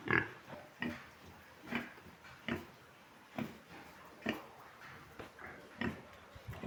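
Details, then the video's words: Large White pig on a farm giving single short grunts spaced about one second apart, steady and low, with a quiet background between them. "large white pigs"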